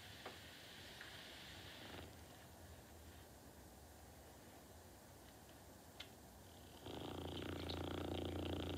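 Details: Norton, a pet dog, sleeps with a low fluttering snore at the start, then near-quiet breathing, then a louder rumbling snore swelling up over the last two seconds.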